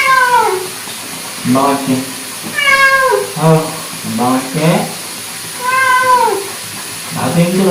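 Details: Soso, a male Korean shorthair rescued from the street, cries loudly throughout a bath; repeated long meows that rise then bend downward, about every second or two, over a quieter background of bathing sounds.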